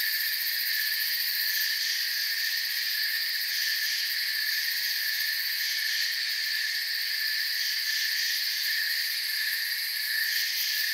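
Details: Crickets in a forest, a long constant chorus of shrill overlapping chirps forming bright high bands, slight shimmering pulses near the top, level steady, no birds, wind or voices.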